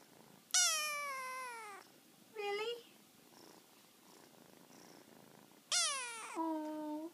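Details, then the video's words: Young male kitten squeaking while talking to its mother indoors: two long high mews sliding downward, the second ending in a lower held tone, with a short chirp between and quiet room sounds. "kitten talks to Momma"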